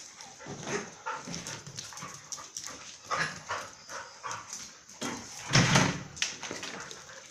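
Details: At Phuket Dog Resort, Mai and Mocca play, giving scattered scuffling growls and then one louder, deeper bark-like burst near the end. A constant high-pitched hiss sits in the background.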